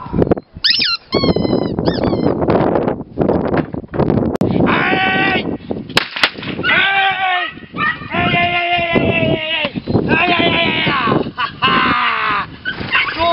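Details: Belgian Malinois named Axs Horus Berg giving loud, high, strained whines and yelps in repeated bursts, some notes rising then falling, with short gaps and a few sharp clicks between.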